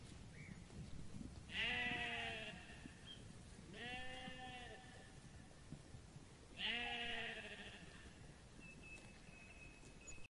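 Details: Sheep on a farm bleating three times, each bleat a quavering, nasal call of about a second, set against a steady background hiss.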